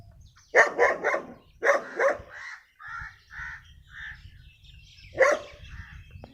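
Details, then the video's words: A rare-breed dog, described as very dangerous, barks in two rapid bursts of three and two, then gives a single loud bark after a pause; softer short clucks from the black hens fill the gap, over a faint low background rumble. "Dog barking"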